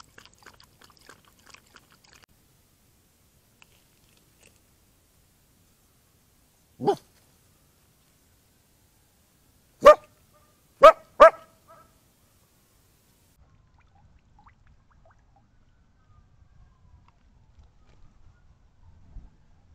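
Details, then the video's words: A coyote in the Arizona desert, hearing sirens, barks after visiting a watering hole; it gives a few sharp, harsh barks, mostly in a quick cluster, in an otherwise quiet setting, then runs off barking. "Coyote Barks at Sirens"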